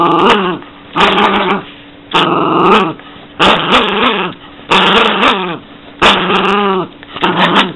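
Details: Growling Yorkshire Terrier gives about seven harsh, rasping growl bursts of under a second each, roughly one every second, some with a wavering, whiny pitch in the middle, with short quiet gaps between them.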